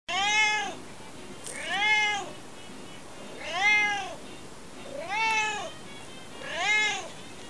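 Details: Alfie the cat talking non-stop: five rising-then-falling harmonic meows, each under a second long, spaced about every one and a half seconds, against a steady low background hiss.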